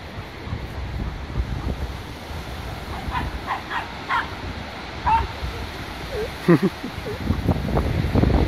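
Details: Bull Terrier Danny, with friends: short, sharp barks spaced out over several seconds, a few clustered close together and one louder yelp-like burst later, set against a steady low rumble like wind or surf.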